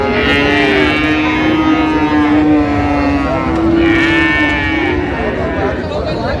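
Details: Friesian and cross-breed bull calves bought by a farmer in Narayanganj, Bangladesh, on 25 December: drawn-out, steady lowing moos with rich harmonics, one overlapping another, over a constant murmur of people talking.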